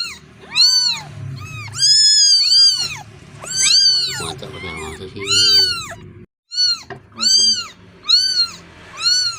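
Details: Lost kitten crying for its mother: around a dozen loud, arching meows, some long and wavering, with a brief silent break before quicker, shorter cries resume.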